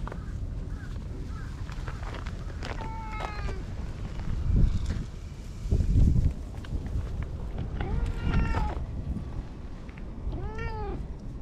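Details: Stray cat that comes over to be petted and ends by delivering an angry cat punch, recorded on a GoPro HERO8; several arched, whining meows near three, eight and ten seconds over a steady low rumbling noise.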